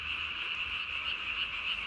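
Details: Japanese tree frog calling at night, 3 May 2020, with its under-chin vocal sac swollen as large as its body; bright, high, pulsing croaks repeat about every third of a second over a steady trilling hum.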